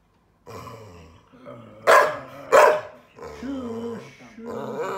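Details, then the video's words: Adopted rescue dog, a female born 2012, grumbling in frustration after failing to make her bed and telling off her laughing owner; low groaning moans with two sharper, louder yelps mid-clip, then wavering whines. "Adopted dog gets frustrated, tells me off for laughing at her bed making fail."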